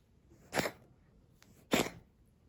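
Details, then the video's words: Tabby domestic cat with asthma coughing indoors, recorded 27 February 2021: two sharp, harsh broadband bursts about 1.2 seconds apart, a faint click between them, otherwise a quiet room. "咳の様子 coughing cat"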